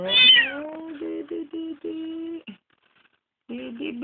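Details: Kitten found crying on the road and then adopted, giving a loud rising-then-falling meow followed by shorter steady-pitched cries in quick succession, with a brief pause before more wavering meows; a woman's cooing voice nearby.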